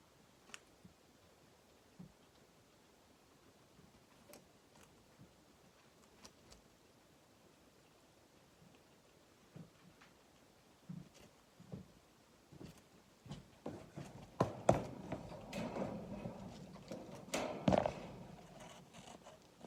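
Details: A guinea pig (Cavia porcellus) eating, with soft scattered clicks building into dense, crunchy bursts of chewing.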